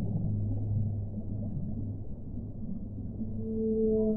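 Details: A sustained low whale hum runs through rumbling underwater noise, and in the final second a clearer higher tone rises in above it.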